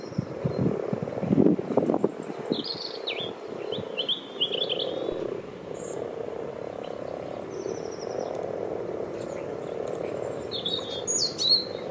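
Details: Several frogs gathered in a garden wildlife pond dug out 14 years ago give a steady, low purring chorus that runs without pause, with a louder rumble early on. Birds chirp and whistle high above, and wind buffets the microphone.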